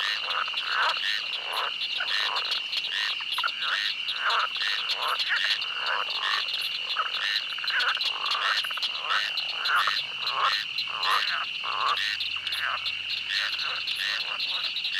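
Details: A swamp chorus of frogs croaking in rapid, crowded pulses, with a steady piercing insect drone and a faint low hum entering in the last seconds.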